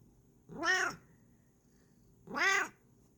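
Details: Kokoa the cat vocalising when happy: two rising-then-falling harmonic meows about two seconds apart, each under half a second, clear in a quiet indoor room.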